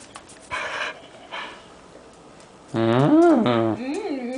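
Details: Anna the dog making noises indoors: two soft breathy bursts, then a loud drawn-out moaning howl with a rich harmonic tone that rises, wavers and falls over about a second, ending in a shorter wavering whine.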